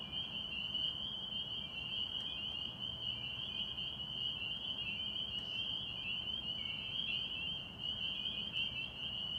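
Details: Spring peepers chorusing at a Massachusetts pond in springtime: countless high, shrill peeps blend into one steady piercing band, with a soft low rumble beneath.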